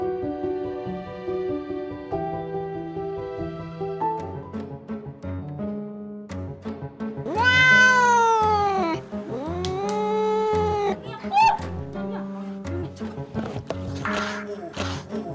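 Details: Former stray domestic cat, now a mother of five nursing kittens, switching from docile to furious toward the household beagles; two long, loud, arching yowls falling in pitch, one briefer cry after, all over continuous background music.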